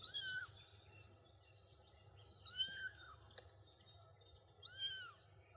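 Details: Kittens about three weeks old walking on daisy-strewn grass beside their mother; three clear, high-pitched arched mews spaced roughly two seconds apart, each rising then falling, with quiet outdoor ambience between.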